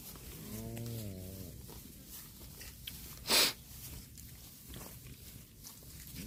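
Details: A cow grazing on grass lets out one low, wavering moo lasting about a second, followed by a loud brief hiss or burst of noise, with a quiet outdoor background throughout.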